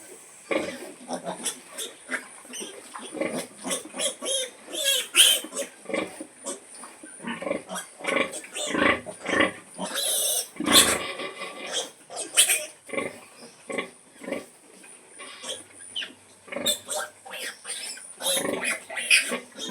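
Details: Sow calling her piglets to feed, giving dense, rapid bursts of harsh grunts and short squeals that come in clusters every second or so, some louder sharp squeals near the middle.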